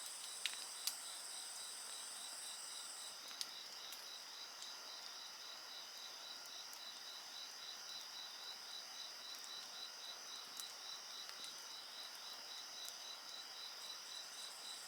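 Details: Insects singing together next to a campfire: a very high continuous trill stops after about three seconds, leaving a beaded pulsing chirp and steady ringing tones, with occasional snaps of burning wood.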